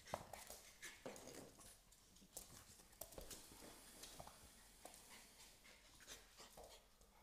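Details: A small female American Staffordshire Terrier puppy plays with a larger male Staffordshire Bull Terrier puppy, giving soft yips, whimpers and grunts amid scuffling noises.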